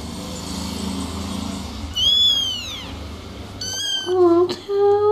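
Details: Several kitten mews: first a long high arching cry, then a short level one, followed by two lower, shorter mews near the end, over a steady low hum.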